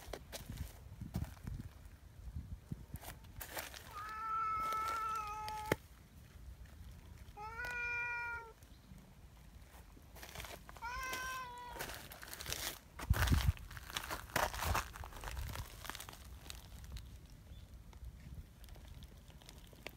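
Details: A large, affectionate black community cat called Donchan meows three times, each cry about a second long with rich harmonics, bending slightly in pitch, spaced a few seconds apart, with rustling and handling noises outdoors.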